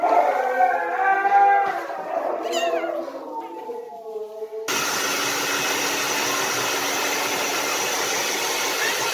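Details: Siberian Husky around the birth of puppies; a long, tonal, wavering howl-like whine with rich harmonics that slides downward, then a steady broadband hiss takes over for the rest.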